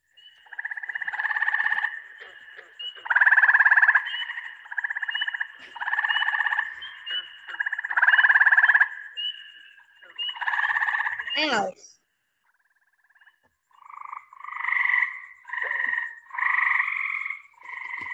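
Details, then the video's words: Gray treefrog, a native Long Island frog said to call at night, giving a series of pulsed, musical trills about one to two seconds long, repeated with short pauses, then a brief gap before more trills resume. "that's a really cool noise also to listen for at night because gray tree frogs will call at night"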